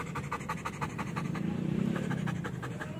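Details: Panting Belgian Malinois during training, rapid regular breaths at roughly three per second, growing louder midway, after commands to stay.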